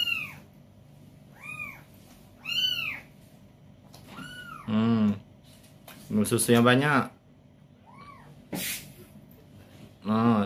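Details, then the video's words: Young kitten in Palembang, left behind by its mother, giving a run of short arched meows that rise then fall, about five in the first five seconds, followed by Indonesian speech and a few more meows. "Si Meong Lucu"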